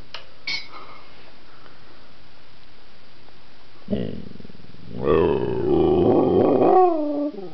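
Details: Pet dog LuLu making strange noises while trying to communicate indoors: quiet faint clicks, then from about four seconds a rising harmonic moan swelling into a sustained, wavering growl-like howl that drops off near the end.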